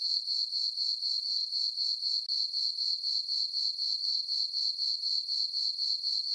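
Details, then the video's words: Crickets chirping on a peaceful summer night in a farm meadow under a full moon; a steady, high, pulsing trill of chirps about four per second, very even, with no other sounds. "Cricket chirping sounds for sleeping"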